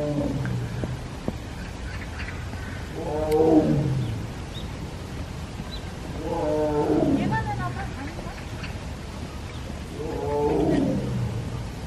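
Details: A captive tiger at Everland zoo, South Korea, crying repeatedly in the morning: three drawn-out, moaning harmonic cries about every three to four seconds, each bending downward, over a low background rumble.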